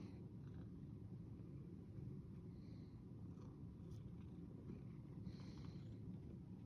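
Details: Cat purring in a continuous low, throaty rumble, even in loudness, with a few faint higher rustling or scraping noises over it.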